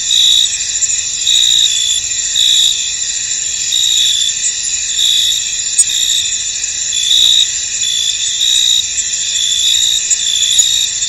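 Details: Crickets fill a misty field with an unbroken high-pitched shimmer, several voices overlapping, while crisp chirps recur at an uneven pace of roughly one per second; a few faint clicks underneath.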